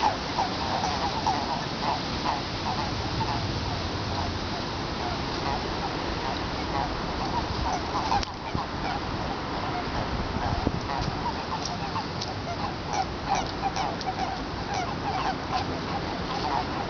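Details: Breeding chorus of Eastern Japanese common toads in a Tokyo pond, February 2017, on a spring-like day: a continuous mass of short overlapping croaks, thinning briefly near the middle, then resuming thickly with louder individual notes.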